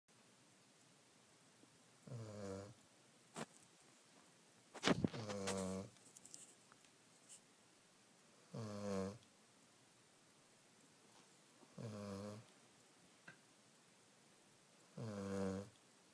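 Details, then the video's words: Sleeping Beagle snoring indoors: rhythmic harmonic snores roughly every three seconds, each a rasping buzzy inhale lasting under a second, with a few sharp clicks and small rustles between them in a quiet room. "Beagle Snoring"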